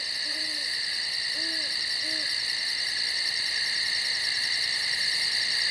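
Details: A steady, shrill chorus of night insects in the woods buzzes on, with a few soft owl hoots early on.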